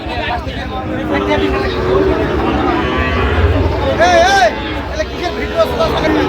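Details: Young Sahiwal bull calves at a cattle market frequented by Chittagong farmers, Bangladesh. Soft, low moos come early, then a sharp, wavering bleat-like call bursts out midway, surrounded by loud talking and market bustle.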